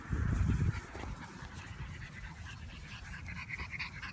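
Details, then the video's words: French Bulldog puppies playing: a loud burst of heavy panting in the first second, then quieter rapid breathing and snuffling over a steady background hiss. "French Bulldog Puppies Playing"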